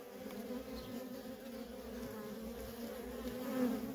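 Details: Worker honey bees streaming in and out of a feral colony make a short burst of steady, droning buzz from many wings, growing slightly louder toward the end.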